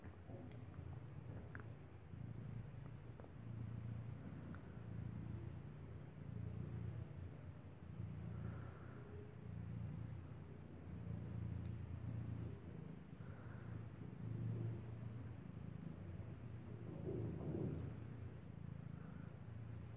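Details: Steady low rumbling purr as a kitten with eyes not yet open nurses from its mother cat Kartopu, who gave birth inside a building; continuous throbbing hum with a few faint soft squeaks above.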